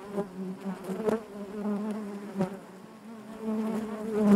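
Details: Honey bees in the hive make a constant layered hum, with brief loud buzzes of bees flying close and a rising swell at the very end.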